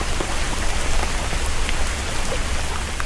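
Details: Steady heavy rain pattering on surfaces fills the recording, with no animal calls audible.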